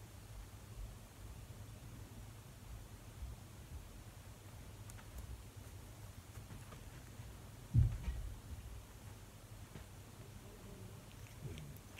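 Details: Quiet indoor room tone with a low steady hum, faint rustles and one brief thump near the end; no animal voice is heard.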